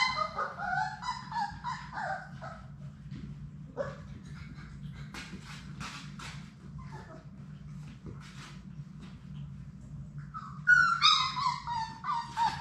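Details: Six Labrador Retriever puppies of Sadie's litter playing together in their puppy play room, giving high whining yelps and squeaky yips in short bursts, with scattered clicks and scuffling and a steady low hum beneath.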